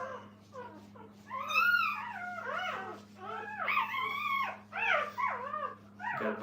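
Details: A bunch of roly-poly puppies fussing while mother Minnie takes a break: soft short whimpers swell into louder, arched whining cries in clusters, over a steady electrical hum.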